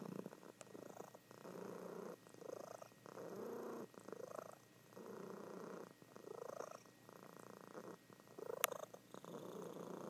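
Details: Soft rumbling purr from a female cat asleep indoors, the breath-timed pulses gentler and less even, with one sharp click near the end.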